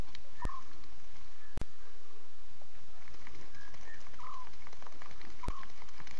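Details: Young lions calling to each other at night, 02:40 CAT on 5 October 2016, on Safari Live: brief mews and soft nasal notes come several times, broken by sharp clicking knocks and a constant background hiss.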